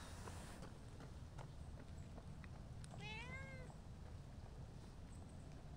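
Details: Stray cat, one of two outdoor cats, a tortoiseshell and a shy brown tabby, seeking affection from a familiar visitor; a single drawn-out meow that rises then falls over a low steady background hum, with faint bird chirps earlier.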